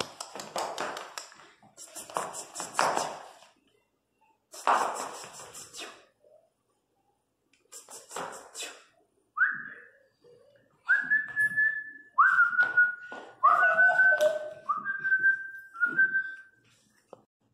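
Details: Three-month-old Miniature Pinscher puppy named Teco crying loudly indoors: thin, whistle-like whines, some rising then flattening, several drawn-out cries in quick succession after earlier scuffling and rustling noises in a small room.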